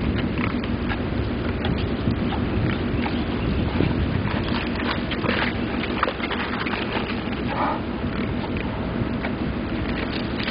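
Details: Tame wild boars and striped piglets, used to humans, grunting and snuffling as an Indian ranger feeds them coconuts; low rough grunts with the crunching sounds of feeding.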